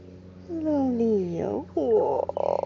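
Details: Leo, a rescued domestic cat living in a permanent home in Cooktown, Queensland, Australia, outdoors: two drawn-out, falling meows, the first nearly a second long and the second shorter, while a person greets him nearby.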